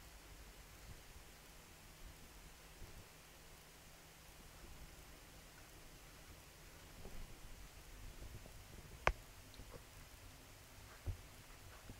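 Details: A quiet indoor room with a faint background hiss and two sharp clicks, and no animal voice.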